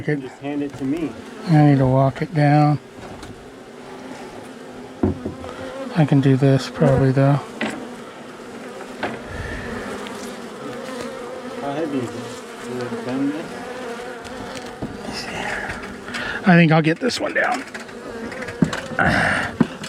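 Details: Angry honey bees swarming after dark while their long-time colony is cut out of a house wall on March 6: an unbroken background hum, with a man speaking in short bursts and a few knocks.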